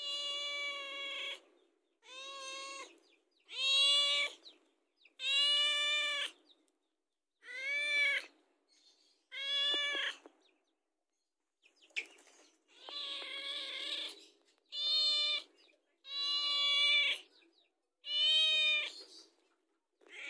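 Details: House cat asking for food, giving about ten loud, harmonic meows one after another, each roughly a second long and spaced every one to two seconds, some rising then falling in pitch, with short silences between.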